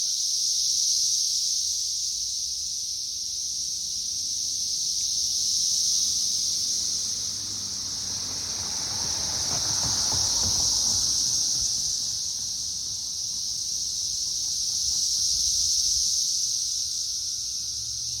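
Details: Periodical cicadas swarming a tree in May 2024, third week of emergence: dense, steady high-pitched droning chorus with a continuous buzz that swells and fades slowly about every five seconds; faint low rustling underneath.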